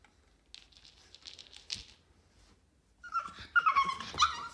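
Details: A 4-month-old Boston terrier puppy named Yoda mid-tantrum inside a small room: quiet shuffling at first, then a loud burst of high, strained whines and yelps during the last second and a half.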